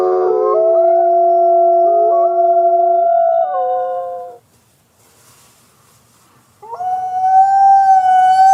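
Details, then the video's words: Overlapping wolf howls held at steady pitches that shift in clean steps, breaking off into near silence for about two seconds before a single higher, even howl resumes. "33+ WOLF SOUNDS! What is the sound of wolf?"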